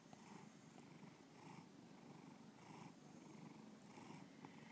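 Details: Close, quiet purring of the pet cat Bubba: a low vibrating rumble rising and falling with each breath, breathy swells arriving roughly every 1.2 seconds.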